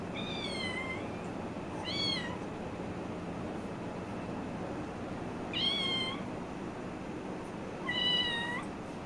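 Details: Playful kitten meowing four times, each meow a short, bright, slightly falling cry with rich overtones, spaced about two seconds or more apart, over a steady low indoor hum with faint voices and music nearby.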